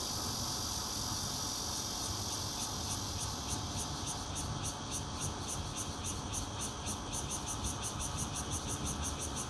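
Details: Bear cicadas recorded 16 June 2013 from a fourth-floor home in Zhongli, Taiwan, with a Nokia Lumia 820: a continuous high whine that breaks midway into sharp pulses about three per second, against steady low-pitched background noise.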